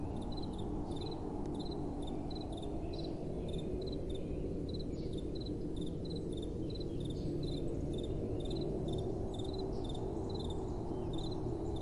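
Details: Crickets calling at night: quick high chirps in short bursts of two or three pulses, repeated steadily every half second or so, over a constant low rumble of soft wind.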